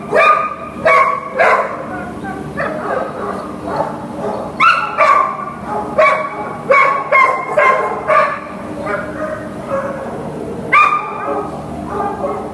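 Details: Lily, a Greater Swiss Mountain Dog up for adoption, recorded 10/7/2015: short, sharp barks and yelps in irregular bursts, several in quick succession around mid-clip, with quieter pauses between them.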